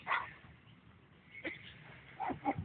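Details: Dobermann at a puppy park, rolling on the ground to coax a new friend into play. Short, sharp barks come at the start, near 1.5 seconds, and as a quick pair toward the end, over faint background noise.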